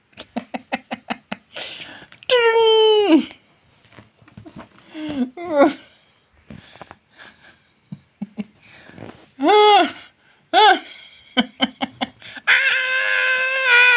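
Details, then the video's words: Domestic cat indoors, one of two house cats, giving drawn-out meows that fall in pitch, then several short arched meows, mixed with people talking and clicking sounds in a small room. "Cat asmr"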